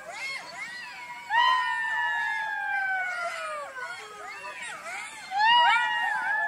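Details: At night, foxes give long, wavering, crying wails that slide slowly downward, several voices overlapping.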